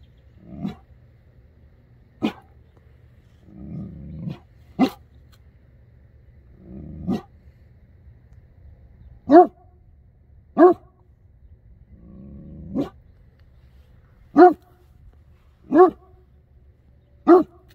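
A Great Dane gives deep, booming single barks spaced a few seconds apart, with low rumbles between some.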